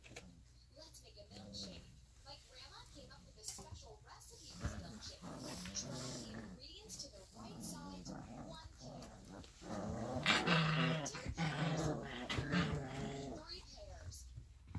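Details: Alaskan Malamute puppies, 3.5 weeks old and playing, whine, yip and grumble in short, overlapping bursts, with human voices behind.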